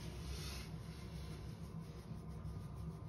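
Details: Faint low-pitched background rumble with a soft rubbing sound early on, and no meowing or other animal voice.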